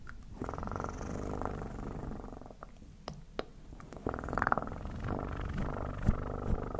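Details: Cat purring close up in a room, a continuous low, pulsing rumble that swells on each breath in, with a few faint clicks and soft rustles.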